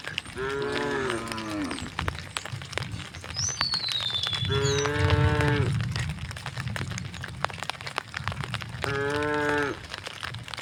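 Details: Cattle passing through a village on the way to the fields, mooing three times; drawn-out lowing calls spaced a few seconds apart, a low rumble of movement and a bird's descending whistle between them.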